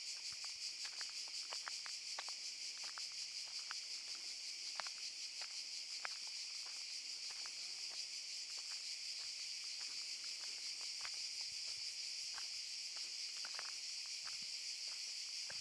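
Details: Cicadas singing in a Zadar park, Šuma Musapstan, in August 2014: a strident, constant buzzing wall of sound, with frequent sharp crackles and ticks like footsteps on dry ground running through it.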